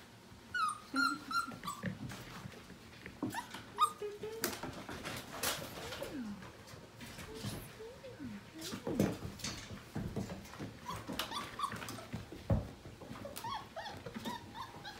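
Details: Portuguese Water Dog litter just over five weeks old at morning playtime, from Libby and Nash; scattered high squeaks and whines over thumps and clicks of scrambling pups indoors.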